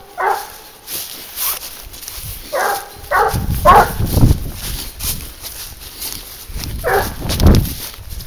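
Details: Barking from Garuo, a 22-month-old dog worked on a leash to track wild boar. Short separate barks come at irregular intervals over low rumbling footsteps and handling noise outdoors.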